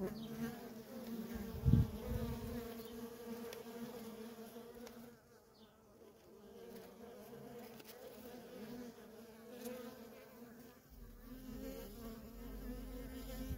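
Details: Nonstop traffic of worker honey bees at a feral colony, a continuous humming drone with steady overtones. One brief loud close pass comes near the start, and a low rumble joins near the end.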